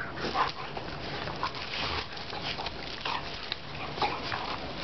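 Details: Pair of German pointers wrestling over a ball, emitting a series of short whimpers and yips roughly every second, mixed with panting, scuffling paws and rustle.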